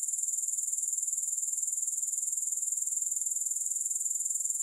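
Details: Grasshoppers heard without music: an even, very high buzzing pulse repeated about four times each second, steady throughout with no breaks.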